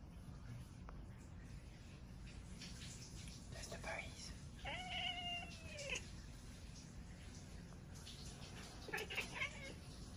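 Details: Domestic cat talking: a drawn-out meow with gently falling harmonics around the middle, then a shorter, higher meow near the end, over a steady low background hum.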